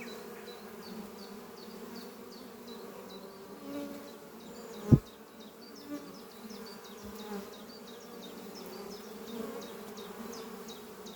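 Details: Honey bees flying at beehive Doppio on a spring morning, foragers bringing pollen to a horizontal hive under trees; soft steady humming drone, one loud knock midway, and a bird's quick high chirping series above.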